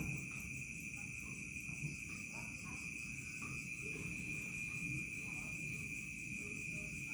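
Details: Crickets at dusk and into the night in a village, giving a sustained high-pitched ringing trill with faint rhythmic pulsing above, over an even low background rumble.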